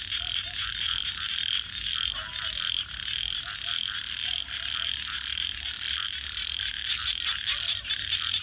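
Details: Frogs calling at night beside a crackling campfire: a dense, steady high chorus with short, soft low croaks scattered through it, and the sharp snaps of burning wood throughout.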